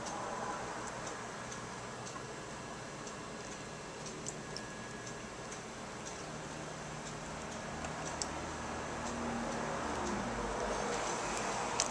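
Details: A quiet room carries soft steady ticking like a clock over low background hiss, with no animal calls.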